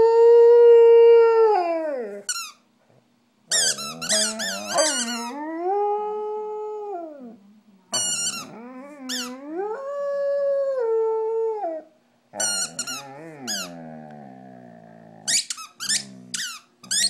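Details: Stella, a pet dog, howls along with her squeaky toy: long wavering tonal howls sliding up and down, broken by bursts of sharp high squeaks from the toy, with short silent gaps between phrases.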